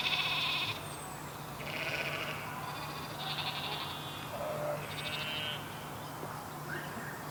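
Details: Sheep heard in a toddler learning piece on farm animal noises: a string of soft, fairly distant high bleats, each under a second long, following one another every second or so above quiet background noise.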